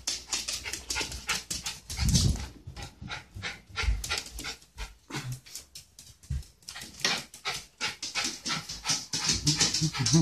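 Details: Excited pet Peekapoo dog, about 15 years old, at medicine time indoors: rapid rhythmic breathy panting bursts throughout, a few louder huffs, with a woman's voice nearby.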